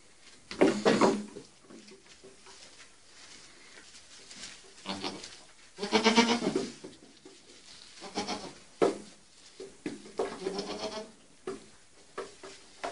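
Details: Young goat kids playing on a see-saw, giving short nasal bleats with stacked harmonics: one burst near the start, a louder cluster around six seconds, then several more bleats later, with quiet indoor-sounding gaps and light knocking between.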